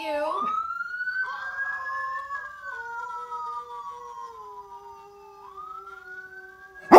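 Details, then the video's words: A dog answering an ambulance siren: a long, steady low howl that slowly falls in pitch sits under the siren's high sweeping tone, ending with a sharp knock. "Local Dog believes that ambulance siren is a howl"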